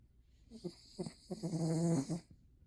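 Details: Sleeping dog snoring during a nap: a few soft breathy snorts, then a longer rattling, droning snore lasting about a second before fading to quiet.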